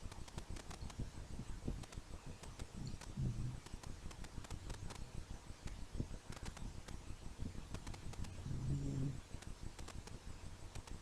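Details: Dog snoring in its sleep, two deep, buzzy snores about five seconds apart, with light clicking and rustling between them.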